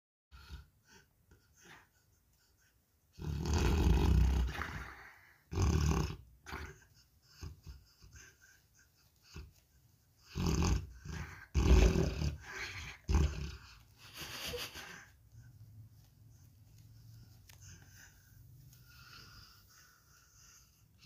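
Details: Douglas, a sleeping Tibetan Mastiff (bankhar) kept as a pet, snoring indoors: deep, rough, low-pitched bursts of breath in two clusters of several snores each, with quiet pauses between and fainter breathing toward the end.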